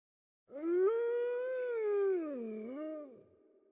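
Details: A wolf gives a single drawn-out howl. It climbs briefly, holds a level plateau, sags lower, lifts slightly and then trails off, clear and tonal against a quiet background.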